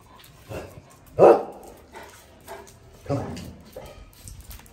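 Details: Micky, an active pet Pug, barks while playing and being told to sit, recorded on an iPhone 13 Pro Max; two short, sharp barks stand out about two seconds apart, with softer yips and spoken commands between them.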